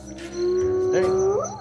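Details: Night-visiting hyenas that a man feeds every evening under a long-standing pact with local people. A single sustained low tone holds level, then bends sharply upward at its end into a rising whoop.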